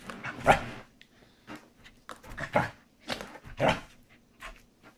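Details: A corgi gives short, sharp barks and yips in uneven bursts while playing with a squeaky chicken toy, with a few squeaks mixed in.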